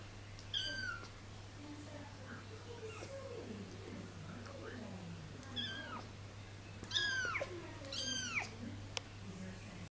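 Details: A 3-week-old kitten falling asleep gives several short, high meows that drop steeply in pitch, clustered near the start and in the last few seconds, over a steady low hum and soft background murmurs.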